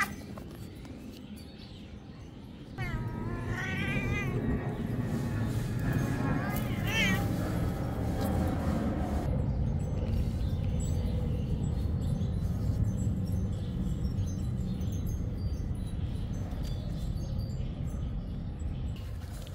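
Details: A big cat biting a small cat; a few short wavering meows around the third to seventh seconds, then only loud low rumbling noise for the rest.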